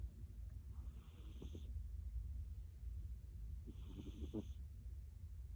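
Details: Munchkin cat named Milk, a pet noted for loud snoring, sleeping: two deep, rough snores about 2.5 seconds apart, each a low rumbling breath with brief rattling pulses, over a steady low hum.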